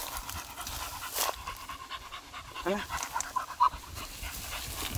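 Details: Beagle out on a morning walk, having come upon grass in a garden, panting in quick breathy bursts with a brief rising squeak midway, while a person speaks in the background.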